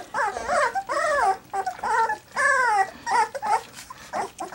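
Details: Three-week-old black English Labrador Retriever puppies getting their first taste of goat's milk give a run of arched, rising-then-falling harmonic whines, each under half a second, several in quick succession with short gaps, in a quiet indoor room.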